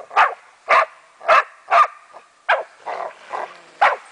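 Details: Meya the German wachtelhund playing with a raccoon dog, barking steadily about twice per second, several louder sharp barks mixed with softer, lower ones.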